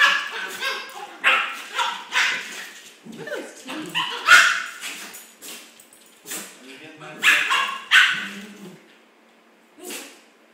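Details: Two Schipperke dogs play-fight on a new floor, with short yappy barks, growls and whimpers in irregular bursts.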